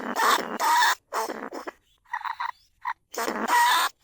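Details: Lesser bandicoot rat recorded live in a rice field at Na Lao, Nong Khu Phai, Thailand, for luring rats from burrows into traps. Harsh, noisy squealing bursts with a thin whistled tone inside, separated by short silences, plus a few brief chirps.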